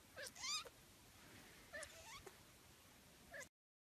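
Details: Young Sphynx kittens giving short, thin mewing calls, two quick high squeaks near the start, a softer wavering mew midway and a final brief squeak, against faint room hiss.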